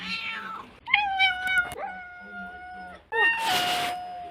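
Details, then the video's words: Domestic cat giving several drawn-out tonal meows, one opening with a rising pitch and then holding steady, another ending in a longer level wail, with a brief noisy rustling burst near the end. "Cat meows"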